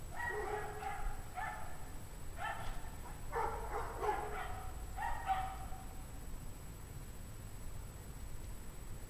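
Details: Several dogs bark together at 5 PM on a frigid January day, temperature 17 degrees Fahrenheit; short tonal barks and yips in rapid groups during the first six seconds, then only low background rumble remains.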